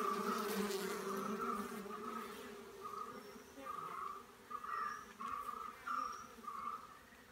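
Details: Giant honey bees, kept for honey: a steady low humming drone with layered harmonics, overlaid by short higher buzzy bursts that repeat roughly every second toward the end.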